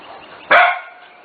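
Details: Corgi puppy from a litter almost six weeks old, giving a single sharp, bright bark that starts suddenly and fades within about a quarter second, over a quiet indoor background.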